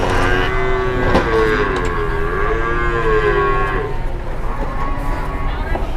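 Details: A very large cattle being loaded with difficulty by several people, lowing in long drawn-out moos with wavering pitch that rise and fall, over a steady engine rumble and people's voices.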